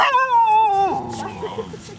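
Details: Dog in Thailand in 2008 "talking": a drawn-out, moaning whine held level, then dropping sharply near one second into softer short trailing notes, with people nearby.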